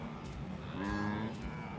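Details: During the annual rut, wildebeest bulls call incessantly in a chorus of deep, moaning grunts with a nasal, lowing tone while chasing and herding females; this chorus brings the cows into oestrus at the same time.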